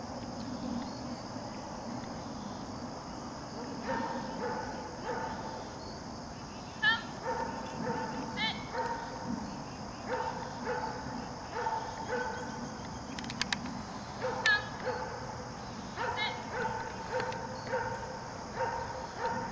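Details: Maci, a 7-month-old female German Shepherd, reacts to a person she doesn't know during a Raleigh Durham training session, giving a long series of sharp, repeated barks and yips in uneven bursts over a steady room hum.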